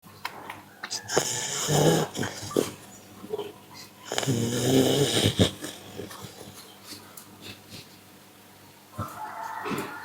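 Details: Pit bull dog snoring: two long, loud rasping snores with a wheezy, nasal rattle, each lasting about a second or more, separated by quieter breathing and light rustling, ending in a softer whine-like breath.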